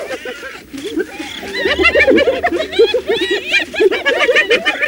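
Hyenas give rapid, high, rising-and-falling giggling notes, tumbling over each other in a chattering chorus.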